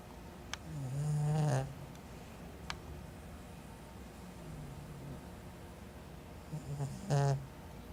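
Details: A sleeping pet cat snores softly indoors: low, rough breaths drawn in about every six seconds, each a short buzzing rasp, with quiet breathing between.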